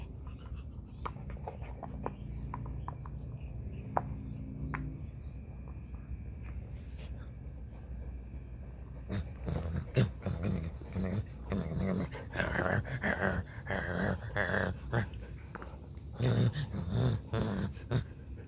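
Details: Alaskan husky playing ball: a low, steady harmonic growl-like drone holds through the first five seconds, then gives way to irregular thumps, scuffles and bursty play noises with short vocal bits until the end.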